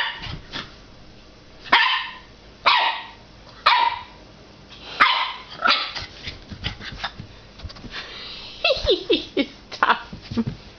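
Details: A 9-week-old puppy barking at its own reflection in a fireplace glass door indoors: sharp, high yappy barks in short bursts of one or two, spaced about a second apart, with a quick run of yips near the end.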